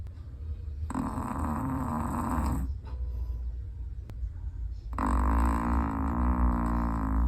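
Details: Snores from a sleeping Chihuahua: two drawn-out, rasping breaths of nearly two seconds each, separated by a short quiet pause, over a persistent low hum.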